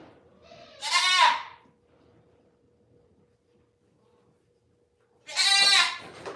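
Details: Goat at The Willful Goat Farm & Home: two loud, harmonic bleats, one near the start and another near the end, separated by about four seconds of near silence with only a faint steady hum.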